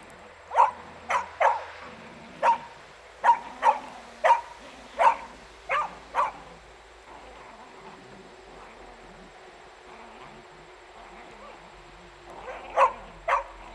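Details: Beagle at play with a shirt, giving a run of short sharp barks spaced unevenly through the first half, then quiet with faint low sounds before two more barks near the end.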